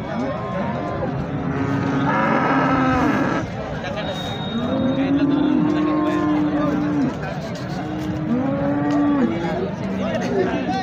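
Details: At Sangola's cattle market in India, Holstein Friesian cattle give drawn-out, even-pitched moos of about two seconds each, three in a row, while voices and crowd noise carry on behind them.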